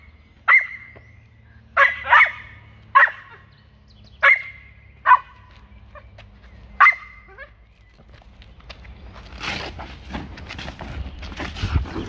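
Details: An Australian Cattle Dog puppy gives sharp, high barks, singly and in quick pairs, every second or so, during protection training.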